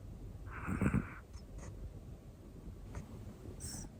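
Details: Sleeping black Pomeranian Hana-chan, a one-year-old female, lets out one short, rough snore that rattles and dies away, followed by soft breathing and faint rustles in a still indoor room.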